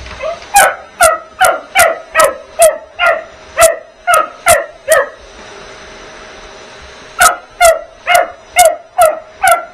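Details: Bugs, a vocal puppy, barks at the vacuum while being vacuumed around: sharp, bright barks in a quick run of about ten, roughly two per second, a pause of about two seconds, then another burst of seven, over a steady appliance hum.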